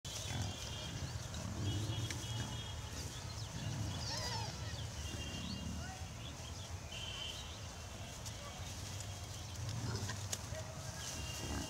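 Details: Piglets on a farm, heard as low grunting bursts near the start and again around ten seconds, with high chirping birds, faint whistles and a steady hiss throughout.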